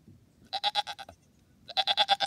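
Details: Goat kid on a farm: two close, loud bleats, each a rapid pulsing tremolo lasting about half a second, the second slightly longer, against quiet low background noise.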